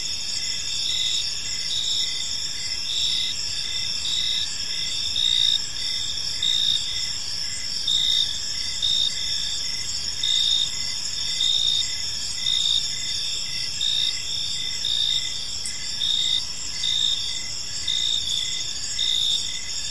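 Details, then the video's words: Evening park ambience of crickets: shrill, continuous high-pitched chirping in several stacked tones, steady throughout, with slightly louder pulsed bursts recurring roughly every second over a quiet background. "Cricket Sounds in a Peaceful Park"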